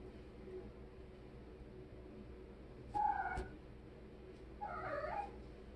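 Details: Kitten playing in a shower meows twice, a brief nasal call and then a longer wavering one, with a sharp click between them in a small echoing room.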